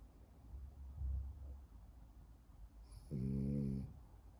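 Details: French bulldog snoring, one loud rasping snore with harmonic buzz near the end, soft breathing before it, quiet indoor room.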